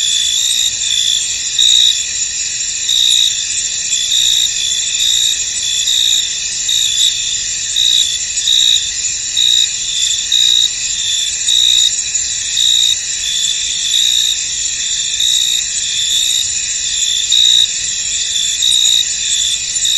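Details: Chorus of crickets in a misty field: continuous piercing trills beneath regular bursts of sharper chirping pulses, steady and unchanging, with no other animals or noises standing out.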